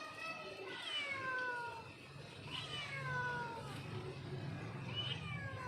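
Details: Cat calling her kitten: three drawn-out meows about two seconds apart, each starting high and sliding downward, over a low steady background hum.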